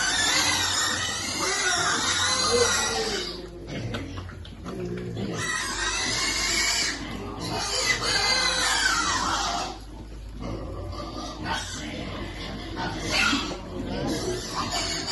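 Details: Piglets waiting to eat at feeding time give dense, overlapping high squeals in loud bursts, easing off briefly around four and ten seconds before resuming, with a person's voice and faint music in the background.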